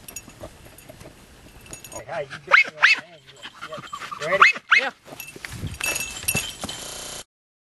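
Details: Jagdterriers Luco, a mother just over two years old, and her six-month-old daughter Effie work an armadillo after seven rainless weeks in 90-degree heat. Four short, high, yelping barks come in two pairs mid-clip over rustling background noise.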